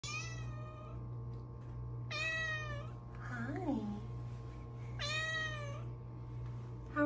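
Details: Luna, a pet cat perched at her favorite window while being petted indoors, gives three drawn-out, bright meows, each close to a second long and sliding downward, spaced about two seconds apart over a steady low electrical hum.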